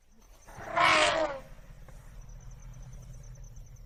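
An African elephant gives a single loud, brassy trumpet lasting under a second.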